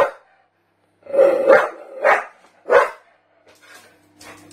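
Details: Barking Staffordshire bull terrier, aimed at a canister: three or four hoarse, drawn-out barks in the middle, trailing off into softer, fainter sounds and a low hum.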